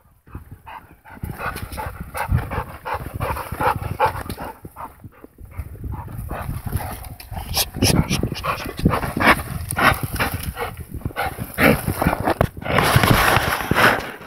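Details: American Pit Bull Terrier close to the microphone, breathing in rapid, uneven panting bursts with snuffling and a few harsher huffs, the breaths rising and falling in loudness throughout.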